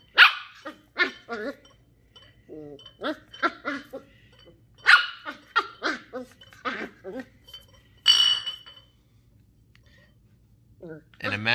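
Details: Shetland Sheepdog puppy Ollie, a curious 10-week-old female, yaps in irregular strings of short, high puppy barks with brief pauses between them, ending in a longer squeaky bark.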